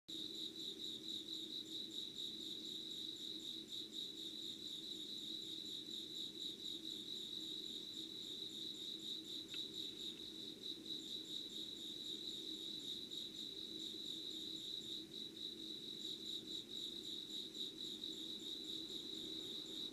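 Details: Insects calling at 5 a.m. on 25 August 2019 in Yugawara, Kanagawa, Japan, beside candle light; a steady high pulsing chorus of chirps, with harmonics above it, runs unbroken over a low hum.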